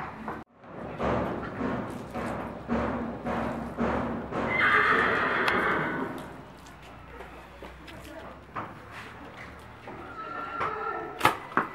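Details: Barb horse at Meknes, Morocco, in the build-up to a Barb horse breeding contest; steady hoofbeats clop for several seconds, then one loud, harsh whinny lasts about a second and a half, with voices talking nearby.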